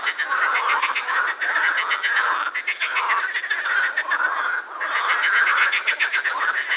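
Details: Pond chorus of edible frogs at Krebsenwasser, Wiener Prater, Vienna: many males with vocal sacs give fast, pulsed, nasal rattles that overlap without pause, swelling and easing in waves.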